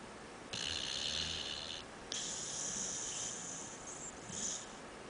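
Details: Couch-sleeping dog snoring in human fashion: a low grumbling intake of breath, a brief pause, then an extended airy hiss on the exhale, in a small quiet room.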